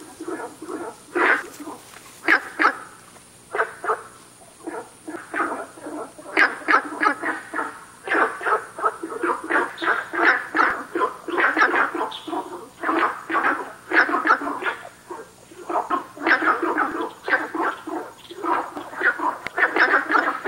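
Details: Günther's frogs calling at South River Valley, a rapid run of short, harsh, dog-like barking notes repeated about three times per second, several callers overlapping in a dense chorus with a faint high steady hiss.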